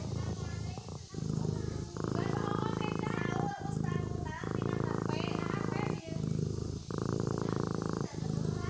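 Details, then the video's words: Domestic kitten purring while asleep, a continuous buzzy low vibration that swells and breaks off in regular breath-length blocks of roughly two seconds, with scattered faint higher tones laid over it. "Suara Anak Kucing Tidur Sambil Mendengkur"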